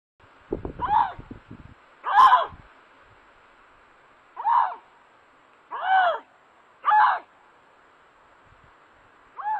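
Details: A Canada lynx, caught on a trail camera in a snowy Maine forest during breeding season, gives brief, nasal, wavering yowls in irregular bursts with quiet gaps, some rising then falling, with faint rustling early on.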